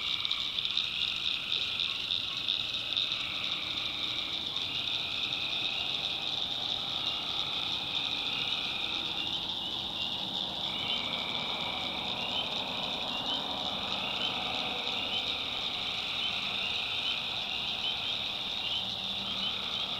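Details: Nighttime chorus of tree frogs from a swamp in the North Carolina backwoods, an unbroken shrill drone over wavering mid-pitched trills, with a faint low rumble in the background.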